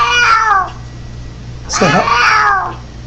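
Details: Domestic cat making odd vocal noises: two short, bending meows with a person's voice, over a steady low hum in the background.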